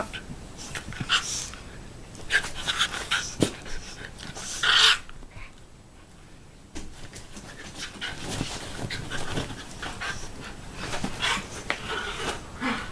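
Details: A nipping puppy playing with a mothering Shiba Inu indoors; rapid panting and soft scuffling throughout, with one sharp high yelp midway and brief quiet spells between bursts of rough play.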